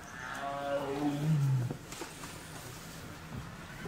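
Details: A male tiger at Ranthambore National Park calls to a female for mating, giving one low, drawn-out moaning roar that slides downward in pitch, followed by near silence.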